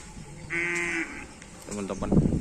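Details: Madura cattle gathered for karapan sapi bull racing on Madura: a short, low, harmonic moo swells in the second half, after a brief steady high-pitched tone, with people talking in the background.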